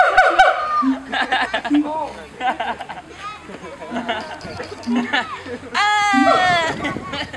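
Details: Captive siamangs at Honolulu Zoo, 2012: repeated low booms and short barking notes, irregular at first, then a loud, sustained, rising wail in the last seconds, with faint visitor chatter in the background.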